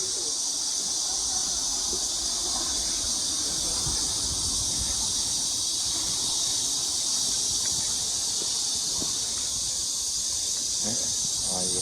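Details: Around 1 pm on 2 August 2021 at Mujinjeong, a summer cicada chorus makes a constant high sizzling buzz, even and unbroken, with a few faint chirps near the end.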